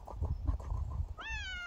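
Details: A domestic cat described as remarkably dog-like gives a single clear meow near the end, rising then gently falling with a bright harmonic tone. It follows about a second of dull thumps and handling noise.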